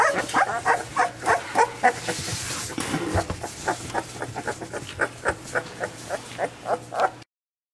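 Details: Chocolate tri merle XL American Bully male puppies yap in quick repeated bursts, several overlapping high yips, with a brief rustling break midway before the barking resumes; a faint low hum runs throughout until it cuts off.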